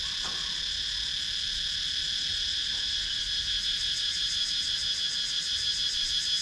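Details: Wooded countryside of Sakon Nakhon, Thailand, filled with cicada sound captured by a GoPro Hero 9 action camera, a steady shrill insect drone in stacked high bands, finely pulsed, with low soft background rumble.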